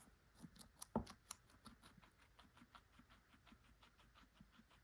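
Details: A guinea pig eats carrots, crunching and chewing with rapid, crisp clicking bites repeated several times a second.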